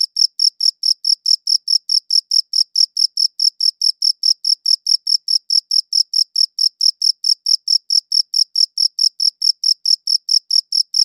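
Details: Chirping cricket recorded on a good audio recorder, an unbroken run of evenly spaced shrill chirps, about four a second, each short and ringing with a faint higher harmonic, no other sounds.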